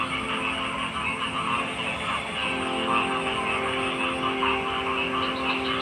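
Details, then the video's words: Frogs in a dense, unbroken chorus of overlapping croaks and trills, many callers pulsing together at mid and high pitches, with steady tonal drones layered beneath and a faint low rumble throughout. "Frog Sounds"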